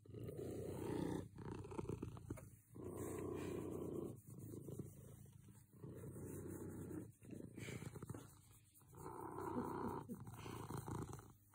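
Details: A contented cat purrs right next to the microphone, a deep, buzzy rumble in long phases of a second or two that alternate with brief quiet gaps as it breathes in and out.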